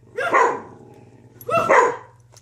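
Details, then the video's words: Two loud, full barks about 1.4 seconds apart, each ringing briefly with harmonics before fading, from dogs that bark together. "Barking with my DoGGs"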